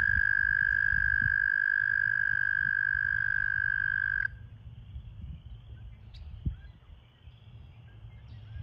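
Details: American toad calling at a breeding pool during breeding season, with toads in amplexus: one loud, steady, high musical trill held for about four seconds and then stopping abruptly, leaving quiet background with low rumble.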